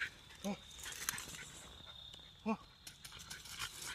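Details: Female Staffordshire bull terrier during her daily outdoor workout, giving two short, low barks about two seconds apart over a steady high-pitched hum and faint background noise.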